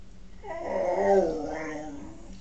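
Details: {'caption': 'Male pet dog trying to howl, compared by his owner to a pig: a short, rough, whiny cry about one and a half seconds long, swelling then fading, with a throaty, grating texture.'}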